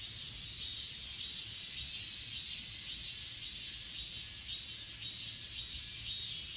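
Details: Night-style chorus of grass insects at Achasan, filmed with an S20 Ultra: regular high chirp pulses just under twice a second sit on a dense, unbroken shrill background drone.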